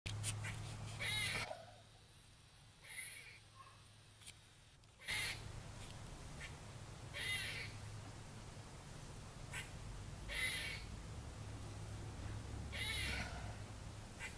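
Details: Squirrel up in a tree in a trailer park on a Tuesday, 30 December 2014, giving harsh, noisy barking calls a few seconds apart over a steady low hum, with one quieter gap partway through.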